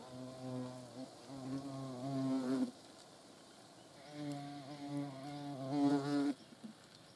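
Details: Hornet in flight giving a low, droning buzz with a steady stack of harmonics. Two loud bursts of about two and a half seconds each are separated by a quieter gap, the pitch wavering slightly as it passes close.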